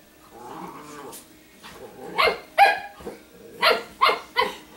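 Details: Italian Greyhound, a female, growling and snarling when she does not want to be bothered by another dog while dressed in dog clothes; rough harsh bursts, a few quick snarls close together near the end.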